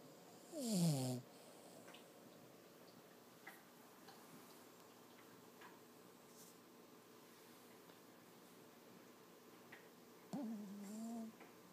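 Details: Dreaming in his sleep, Toby the six-month-old Lhasa Apso makes one sharp, sliding, descending whimper near the start, a long quiet stretch of soft breathing, then a second low wavering whine near the end.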